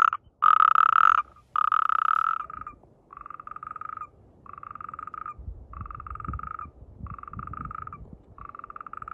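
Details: Natterjack toads croaking at mating time, in amplexus. Two loud rattling trills open, then a steady series of softer, evenly spaced pulsed trills repeats about every second over light low background noise.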